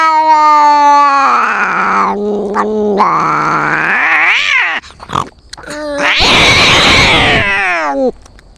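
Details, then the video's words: Fighting cats trading long yowls that bend upward and drop, with a harsh, noisy hiss-like burst near the end before a last falling wail. "Experience a cat fight from a cat's perspective."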